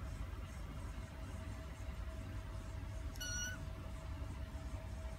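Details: A newborn black kitten, born to a Siamese mother, gives one brief, thin, high-pitched mew over a low background rumble.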